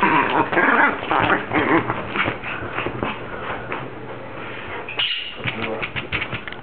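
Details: Dog giving dense, rapidly pulsed whining grumbles, compared to a Star Wars character or a baby, with a brief pause near the end before higher yelping whines resume.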